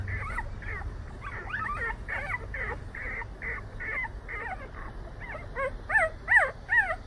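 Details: Whimpering Jindo puppies, brothers about 187 days old who long to go outside: rapid, thin, rising-and-falling whines repeated roughly twice a second, growing louder and sharper toward the end over low background rumble.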